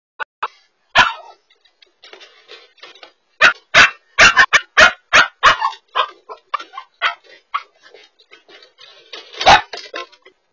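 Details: Siberian Husky puppy escaping while home alone, caught on a dog camera: bursts of sharp, high yelping barks and howly whines, clustered in rapid runs around four to five seconds and again near nine seconds.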